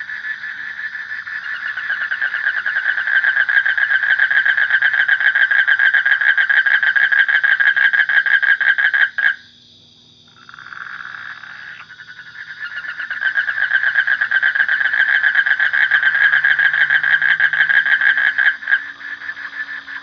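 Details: A frog keeps up a long, even, buzzy pulsed trill at mid pitch, breaks off briefly near the halfway point, then returns to the same rapid rattling rhythm.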